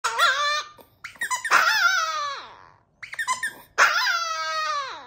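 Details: Chihuahua howling as a birthday ode: four long wavering high howls with rich harmonics, each sliding downward at the end, separated by short pauses.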